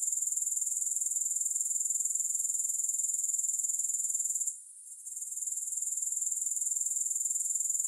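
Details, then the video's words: Shrill, finely pulsed grasshopper buzzing, interrupted by a brief lull midway, then resuming at steady strength; no music or voices. "Grass Hopper Sounds"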